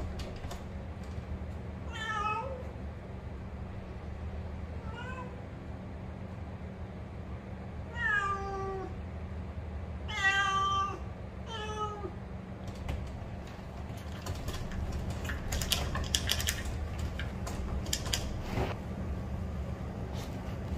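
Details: Benny, a pet cat living at home in Bali, meowing repeatedly: several drawn-out, harmonic meows with slightly falling pitch over the first twelve seconds, then quieter handling noises and clatter, with a steady low hum throughout.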